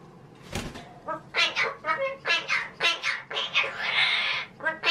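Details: Indoor male pet magpie in talking mood: a short burst of speech-like syllables, then a harsh, buzzy, rasping stretch, then more babbling.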